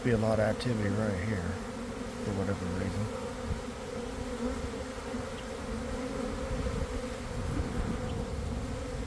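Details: Swarming honey bees at a garden apiary, early afternoon following cold damp days, heard from within the developing swarm: a continuous deep buzzing hum, with a human voice briefly over it in the first three seconds.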